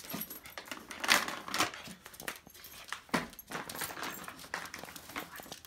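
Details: Three toy poodles, excited and unable to wait for a treat, give short sharp yips in bursts near the start and middle, mixed with clicking and jingling noises indoors.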